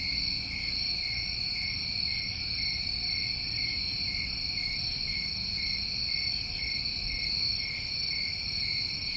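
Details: Dense high chirring from summertime crickets in New England, an unchanging layered trill that never pauses, backed by a gentle low-pitched rumble.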